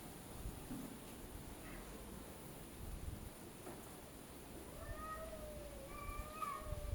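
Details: Cats arguing with each other, heard quietly: after a few seconds of low background hum, several short rising-and-falling yowls come in one after another near the end.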